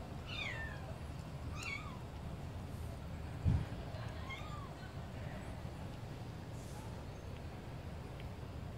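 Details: Tiny kitten, smaller than a calico kitten, giving four short, high, thin meows, the first two rising then falling, spaced over about four seconds, over a steady low background rumble with one brief thump.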